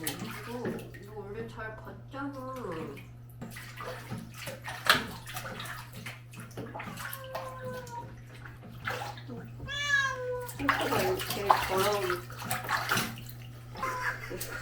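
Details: Sol, a pharmacy cat from Hongdae, Seoul, meows during a bath: several drawn-out, wavering cries with rising and falling pitch, spaced irregularly. A person talks throughout, with water sounds and a steady low hum.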